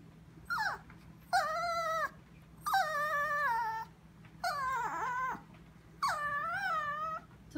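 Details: Sophia the Chihuahua whining at 2am in the kitchen, looking at something; five evenly spaced, high, harmonic whines about once every 1.5 seconds, each held level or gently wavering, with a short falling yelp at the start.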